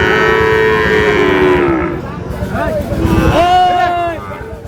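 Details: Sahiwal bull calves at the Ambari cattle market in Manikganj, Bangladesh, on 14 August, where a farmer is buying; a drawn-out lowing moo slides downward, then a second higher moo rises and holds, with men bargaining and shouting throughout.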